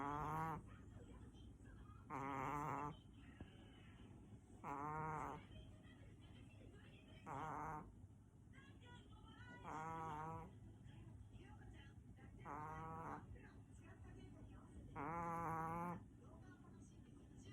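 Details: Natchan, a large pet Chihuahua, sleeping comfortably and snoring: nasal, rasping snores with a whistly harmonic tone, each under a second long, repeating roughly every two and a half seconds over a steady low room hum.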